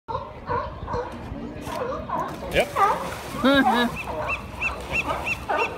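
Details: Sea lions fighting, letting out harsh, honking barks and groans that overlap and rise and fall, with human voices mixed in.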